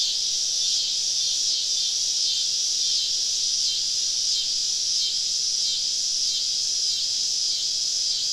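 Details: Deep in southern woods on a summer evening, cicadas surrounding a camp produce a loud, dense high buzz, throbbing in steady, evenly spaced swells about every second throughout.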